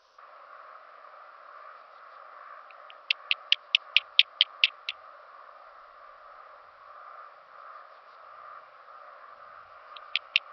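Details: Song of a Handsome Cross Grasshopper, Oedaleus decorus, on Cres, Croatia, 27 July 2023, via an ultrasound detector: a rapid, even series of about nine crisp high ticks over a steady hum, then two or three more near the end.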